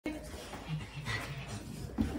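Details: An excited Rottweiler pants hard and lets out brief whimpers as a favourite visitor, her nanny, arrives, with a person's voice alongside.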